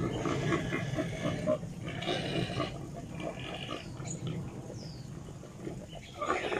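Wild boars grunt and squeal harshly in a dense, rough chorus while fighting over mates.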